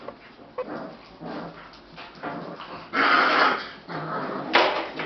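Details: Australian Shepherd puppies at a dog daycare, several young dogs together indoors; soft whimpering and short yips build to louder overlapping squeals around the third second, with another sharp yelp near the end.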